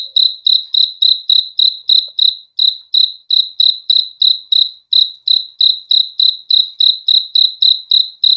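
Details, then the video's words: Cricket chirping in a steady run of short, bright, high-pitched pulses, roughly three to four each second, with almost no pauses and no other sounds. "BEAUTIFUL SOUND OF CRICKETS"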